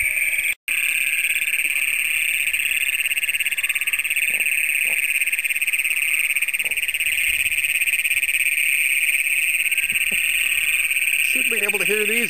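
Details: Great Plains toads calling at night near the first site documented for the species in Brown County, Minnesota, June 27, 2010, caught on a Canon PowerShot SX100: an unbroken, deafening high metallic trill, steady for the whole stretch, with a brief dropout near the start.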